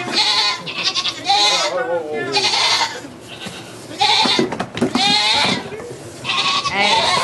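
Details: Goat bleating during a birth of two kids at a sugar shack in Quebec, Canada: several quavering, harmonic bleats come in quick succession, mixed with excited French speech and a low hum underneath.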